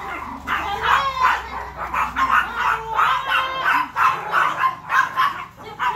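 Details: Chihuahua barking angrily at Hansel, a much bigger dog: fast, irregular strings of high yaps, some with a whining ring, with a faint low hum throughout.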